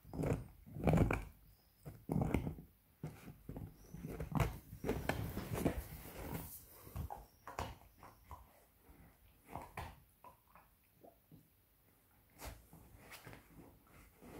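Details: Seven-month-old beagle puppy chewing a pork bone inside a small room, with strong irregular crunching and cracking bites, thick in the first half and thinning toward the end.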